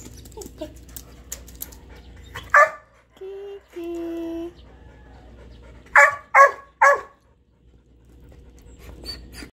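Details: Indoors with a Golden Retriever puppy and a Shih Tzu puppy from a three-dog household: a sharp yip, two short steady whining tones, then three quick harsh yelps, with faint background hum.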